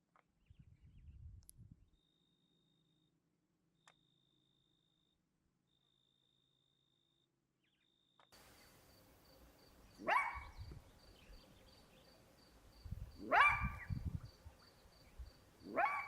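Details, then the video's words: In winter, a side-striped jackal gives sharp, falling yelps about every three seconds, an alarm call at a young male leopard nearby. "Jackals often alarm call at the threat posed by the big cats This side striped jackal alerted us to the presence of this young male leopard"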